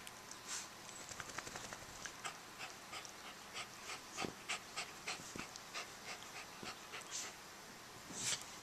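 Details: Three poodles, Toby, Lucy and Romeo, playing with their blanket: quick breathy huffs in a steady run of about two per second, mixed with soft fabric rustling and a few sharper clicks.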